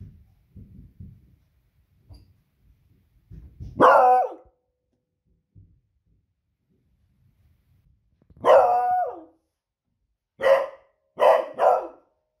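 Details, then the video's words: Female Beagle raising the alarm at noisy evening fireworks on a Friday: faint low thuds, then a loud ringing bark, a longer drawn-out bark some seconds later, and three quick sharp barks close together at the end. "Cute Beagle Barking at Fireworks Noise"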